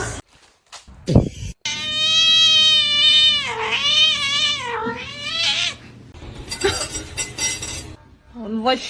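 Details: Cat producing a long, drawn-out wailing yowl of several seconds that wavers up and down in pitch, with people's voices talking around it and some clattering.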